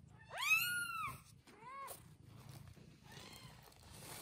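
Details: A single strong, upswept mew from one-day-old newborn kittens with their mother cat, then a shorter, softer mew and faint fading cries.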